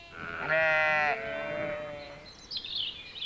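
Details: In spring, a sheep gives one long, wavering, nasal baa lasting nearly two seconds, heard among garden sounds; afterwards, high twittering birdsong comes in.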